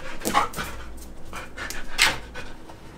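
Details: A female golden retriever pants and snuffles in quick, breathy bursts with a few soft whimpering tones while trying to unbox a package of dog biscuit treats.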